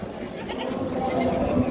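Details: Goat at a busy goat market, where one is being bought for a young daughter's aqiqah; a wavering, tonal bleat rises and holds in the second half over a steady murmur of crowd voices.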